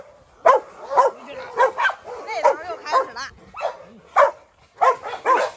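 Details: Three dogs, a brindle Canary mastiff female going after a Rottweiler for revenge while a Staffordshire joins the trouble, bark in short sharp bursts roughly every half second, with a man's voice heard between barks.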